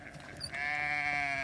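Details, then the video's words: A sheep bleats during hay feeding on a farm where a hungry ram lamb and six other lambs live; a single steady, strongly harmonic bleat begins after a soft lead-in and holds to the end. "our new baby sheep ram lamb is hungry"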